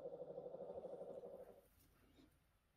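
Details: Orphaned newborn brown bear cub at the Orphan Bear Rescue Centre, one of ten rescued this year, gives a steady pulsing, buzzy hum for about a second and a half, then fades into quiet room noise.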